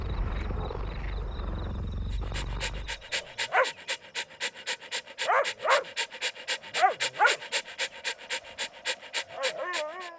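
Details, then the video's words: Fluffy puppies playing outdoors in sunny green nature: quick rhythmic panting, roughly three breaths per second, with a few thin rising whines near the end, after an opening stretch of low rumbling noise. "Soothing Dog Sounds"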